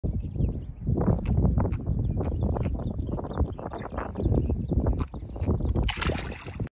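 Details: Giant trevally making grunting noises: a run of low, rough pulsed grunts, mostly deep and thumping, some in quick bursts, with gurgling water and a brief hiss near the end.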